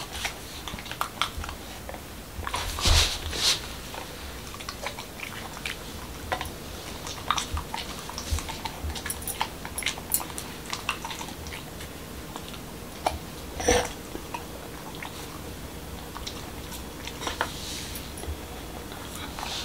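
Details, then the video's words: Corgi named Momo, a male in Washington DC, munching a homemade dog taco with whole wheat shell, cucumber and ground beef; steady soft smacking chews broken by sharp crunchy bites, a few loud cracks standing out, in a hushed indoor room. "Dog Eating Tacos| Dog Food Reviews |Corgi Mukbang"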